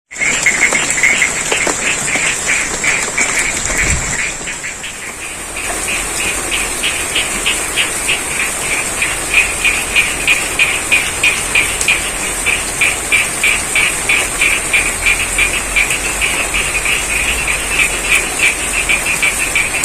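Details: Frogs calling amid a rice field in Dsn. Sidorejo, Cangkring, Ngadirojo, Pacitan, East Java, during rain: rapid pulsed croaks, roughly three a second, under a steady high hiss; the calling briefly drops out with a low thump near four seconds.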